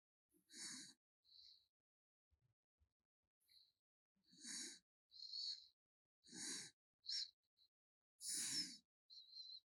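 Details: Snoring from the sleeping pet raccoon 개똥이: soft, wheezy breaths with a low rattle, spaced unevenly, with pauses of a second or two between them.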